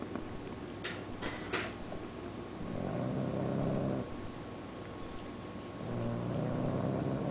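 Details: A bulldog snores while awake, with one eye open. Light clicks come first, then two long, low, buzzy snoring breaths, each over a second, rising in loudness with a steady rattling texture.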